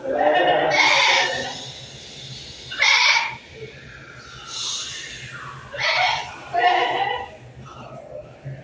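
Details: Goats on a windy hillside: a few wavering, nasal bleats of about half a second to a second each, spaced irregularly, over a steady low rush of wind.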